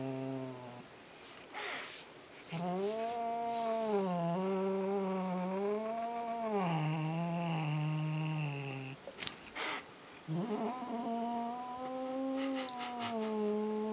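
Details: Domestic cat guarding a captured fluffy ball, growling possessively: long rolling low growls that swell and dip in pitch, broken by a sharp click and brief huffing breaths before a final steady growl.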